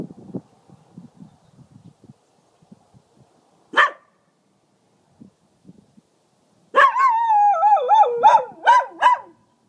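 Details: A small male dog warning coyotes away from the property: quiet scuffling, one sharp bark, then a wavering howl of rapid pulsing yelps after a pause, with an owner's praise nearby.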